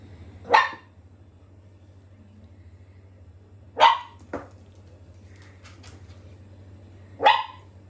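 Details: Miniature dachshund puppy barking indoors: three sharp, loud barks spaced roughly three seconds apart, plus one shorter softer yip, over a low steady hum.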